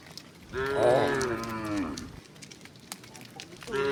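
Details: Tame cow in a herd walking toward a wide pasture on a quiet, sunny morning: one long, rich, harmonic moo lasting about one and a half seconds, rising slightly then falling, followed by quiet outdoor background and the start of another moo.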